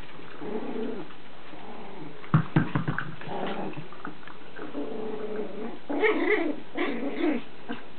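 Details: Playful Chihuahua puppy Lacey with her toys, making low grumbling growls, with a few sharp knocks in the middle and a louder, rougher growl near the end.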